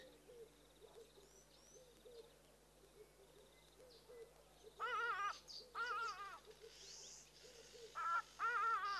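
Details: A family of rock hyraxes relaxing on rocks in the African bush; a rock hyrax gives loud, harsh, wavering wails in short bursts over softer repeated low notes.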